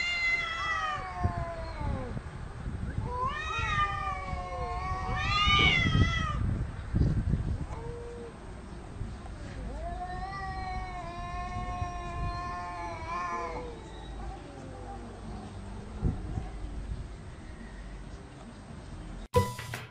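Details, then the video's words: Quarrelling house cats let out several drawn, wavering meows and yowls, some sliding upward, over low rumbling background noise, ending with a sharp click. "Funny Cats Arguing"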